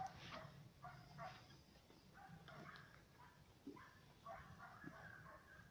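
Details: Two German Hunting Terriers, Mibun and Anja von Jagdwald, barking from a distance: short, sharp, yelping barks in uneven clusters, some whining in pitch, set against a constant low-frequency rumble.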